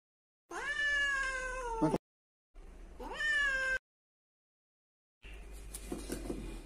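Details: Siamese cat, a pet once saved from death, meowing twice: drawn-out harmonic meows, each about 1.5 seconds, rising then gently falling, followed by softer rustling noise.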